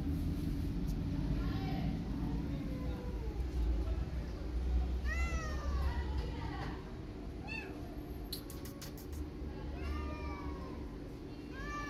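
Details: Outdoor street cat circling a tabby kitten and walking around her; a series of short arched meows repeats every second or two over steady low traffic rumble, with a few faint clicks.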